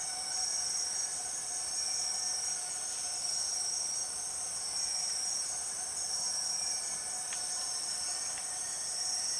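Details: Empress cicada in the Borneo rainforest: steady, shrill high-pitched whining drone, with faint pulsing tones repeating about every two seconds over a constant insect chorus, no other clear sounds.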